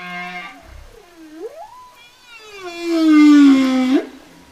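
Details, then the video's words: Humpback whale song from the 1970 album Songs of the Humpback Whale, a low hum and short grunt, a rising swoop, then a loud, rich, slowly falling moan that flicks upward at the end. "Sound of whale (Song of the humpback whale)"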